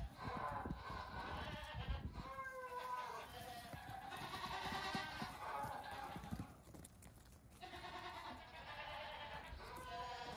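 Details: Goat kids about two weeks old, let out on a farm one morning to hop and play, bleating in wavering, harmonic-rich cries at about two and eight seconds, with rustling, thumping and scuffling movement noise throughout.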